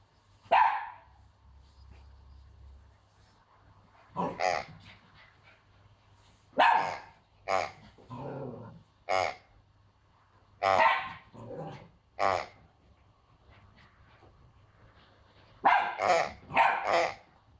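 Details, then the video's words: Frightened young female Pomsky barking at a new squeaking piggy toy in her territory; bursts of high, yappy barks, some in quick doubles and a rapid triple near the end, with quiet pauses and a low rumble. "Cute puppy barking at new toy (she is SO afraid!)"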